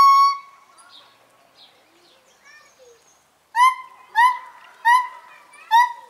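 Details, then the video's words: Morning chorus from a pair of gibbons in a zoo: one loud hooting note, faint scattered calls, then four loud, clear, hooting notes about half a second apart, each rising and falling slightly. "het ochtendkoor (gibbons)"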